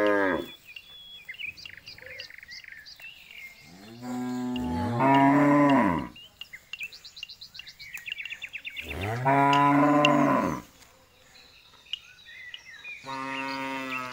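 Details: Jumbo bull mooing three times, each deep, drawn-out low call lasting one to two seconds with rich harmonics, separated by quieter gaps filled with high chirping birds.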